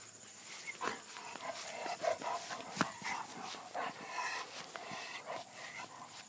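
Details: Two Basset Hounds, aged 10 and 7, lively in the upstate New York countryside, give short, scattered barks and yips amid rustling, scuffling outdoor noise.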